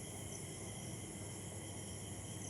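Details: Chakdah at dusk after rain: crickets keep up a constant shrill, multi-pitched trill without pauses, backed by steady low-frequency rumble.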